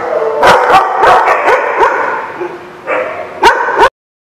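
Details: Dogs barking on 30 July 2016: a rapid series of yipping barks early on, a quieter stretch, then two loud barks before the sound cuts off abruptly, amid steady background noise.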